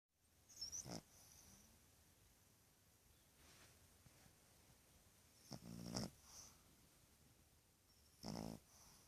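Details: A male Boston terrier puppy, two and a half months old, snores in rough, rattling bursts spaced a few seconds apart.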